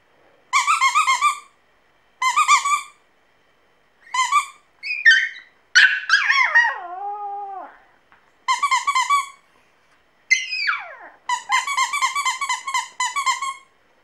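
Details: A Pomeranian puppy sings in a run of short pulsed squeaky bursts. Midway there is a drawn-out wavering howl that slides downward, then more quick trilled squeals follow.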